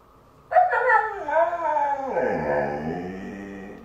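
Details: Moon, a pet husky indoors, reacting to a new couch, lets out a loud harmonic howling whine about three seconds long. It starts high and slides downward in wavering steps before trailing off.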